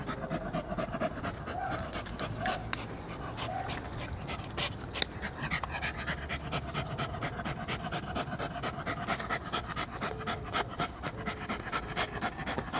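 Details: Domestic poodle panting continuously, soft breathy pulses of about two per second that speed up and tighten in the second half, with low room noise underneath.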